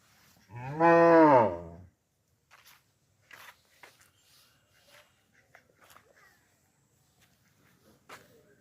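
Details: Cow on a village farm lowing once, a short, rich moo of about one and a half seconds, rising then dipping, followed by near silence with faint clicks and knocks.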